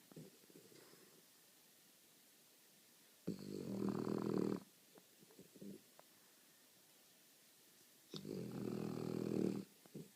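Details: A French Bulldog snoring while asleep indoors: loud rasping snores lasting over a second, spaced several seconds apart, with quieter breathing snuffles between.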